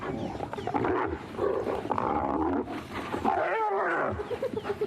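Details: Spotted hyenas on a sunrise safari drive: a clan, including some sub-adults, attacks one individual of unknown sex, targeting its ears, as it struggles to escape. Several animals give overlapping growls, yelps, contact calls and wavering giggle-like cries.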